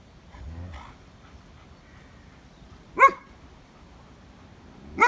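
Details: German Shepherd from a pack, in sunshine: after a quiet low murmur, two sharp, harmonic-rich barks ring out about two seconds apart against a near-silent background.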